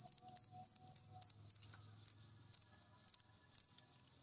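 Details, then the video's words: A cricket chirping on a recording used to stir cage birds into song; quick high pulsed chirps at first, then slowing to one every half second and stopping near the end, a faint low hum underneath. "Masteran Jangkrik Ini Bikin Burung Peliharaan Anda Gacor"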